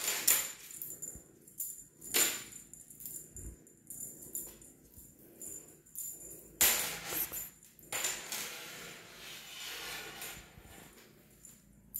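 Bright jingling and rattling bursts, like a bell toy or tambourine, with no animal voice.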